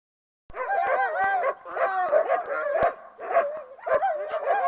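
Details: Wavering, overlapping whines and howl-like tones from a dog rise and fall continuously, punctuated by a few short clicks or yips.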